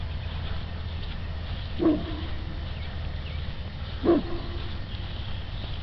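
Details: Quidam, a dog on routine patrol, sounds the alarm after sensing something strange on the water: two single deep barks, roughly two seconds apart, over a steady low background rumble.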